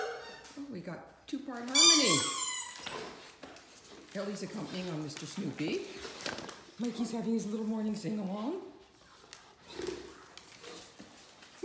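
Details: A Great Dane howls along with his squeaky ball in long, wavering, sliding tones while a second Great Dane squeaks a toy, making high squeaks.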